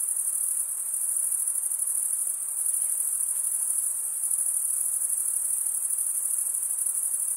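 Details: Night chorus of crickets in a summer forest, steady high, shimmering trill with slight swells in loudness, otherwise constant, and a low faint murmur of ambient noise.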